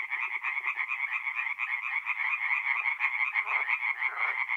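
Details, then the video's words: Singing tree frogs by night in a forest pond of north-east Italy in April, a thick chorus of quick grating pulses, with soft lower clicking notes at the start and a few deeper croaks near the end. "relaxing forest pond by night with singing tree frogs"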